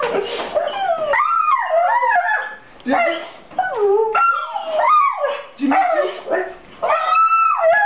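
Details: A dog crying after seeing its owner again following six months apart: long wavering, howl-like whines rising and falling in pitch, in several drawn-out bursts, with a man's soothing voice nearby.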